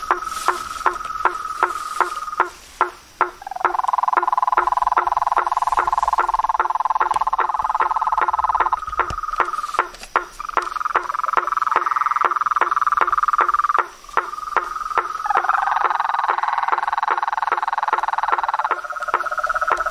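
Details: Frogs, toads and treefrogs calling in nature: a dense chorus of long buzzy trills that start and stop, overlaid with rapid knocking calls repeated several times a second.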